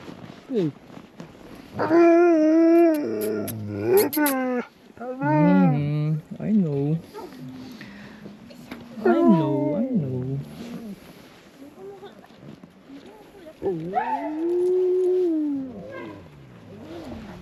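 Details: Husky sled dogs at a sledding tour kennel near Ogre, Latvia, in winter at about -13°C. Several drawn-out, wavering howls and whines rise and fall in long bursts, with short gaps between them. People talk and greet the dogs in the gaps.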